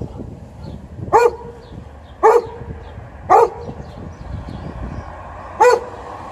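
A Golden Retriever gives four loud, deep single barks, spaced about a second apart with one longer pause.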